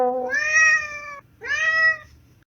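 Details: Cat named Coco, hunting pigeons, gives two loud, clear meows, each rising then holding steady with rich harmonics, about a second long with a short gap between them; quiet indoor background.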